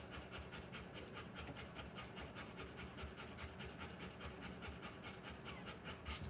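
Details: Rottweiler in labour, giving birth to puppies, panting in quick soft breathy pulses, a little under two per second, over a low rustling, rubbing background.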